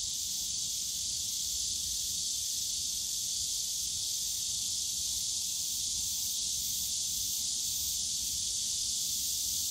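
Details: Cicadas calling on a summer day in the bamboo forest of Yongsan Family Park: a steady, unbroken high shrill hiss that holds level throughout, with a faint low rumble of park noise underneath.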